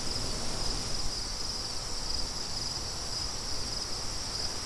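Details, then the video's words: Crickets with wind: a constant high, buzzing trill with soft rhythmic pulsing, partly masked by rumbling low gusts of wind throughout. "Crickets & Wind"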